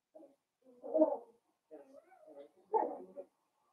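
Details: Five blenheim Cavalier King Charles Spaniel puppies, born at New Year's to Paris and Spike, romp with their mother indoors; a string of growly yaps and throaty grumbles comes in four bursts, the last loud and rasping.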